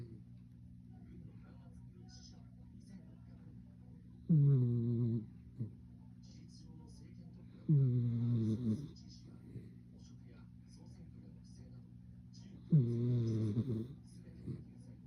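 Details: Sleeping Miniature Schnauzer, salt and pepper coat, the eldest of the household's dogs, snoring indoors: three low rattling snores at roughly four-second intervals, each a rough buzzy inhale lasting about a second, with quiet breathing between.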